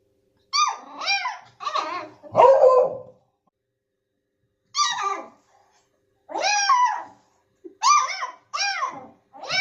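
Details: Dog yapping in quick high-pitched bursts: two or three sharp barks, a pause, then more clusters of short yipping barks, each with a rising-falling tone, in a quiet room.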